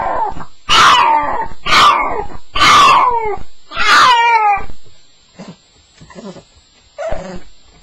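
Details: Staffie on its first night: four loud, falling, howl-like cries about a second apart, followed by faint, short whimpers in a quieter room.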